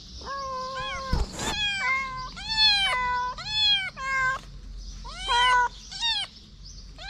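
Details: Homeless kitten licking fingers while standing upright gives drawn-out, high-pitched meows, several held flat then bending down at the end, others short and rising, with a brief rustling knock near the start.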